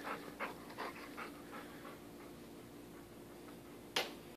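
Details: Male English Cream Golden Retriever puppy humping his toy elephant: quick, breathy panting in short puffs about every 0.4 seconds, fading out, then one sharp click near the end.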